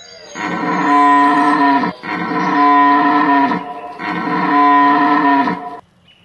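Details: Red deer (Cervus elaphus) in rut at Hoge Veluwe National Park, Netherlands, 19 September 2010: three powerful, deep, bellowing roars of about one and a half seconds each, separated by short pauses, loud and close.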